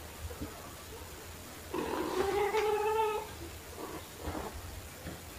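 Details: Domestic cats Pepper, a black cat, and Kofi, a torby, at play with fluffy toys indoors; one long, steady harmonic meow lasting over a second, followed by a couple of softer short calls and light rustling.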